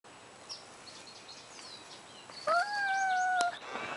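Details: Simba, a male Siamese cat kept on a leash, meeting another cat named Leo: one steady, drawn-out harmonic meow lasting about a second, with faint bird chirps and outdoor noise around it.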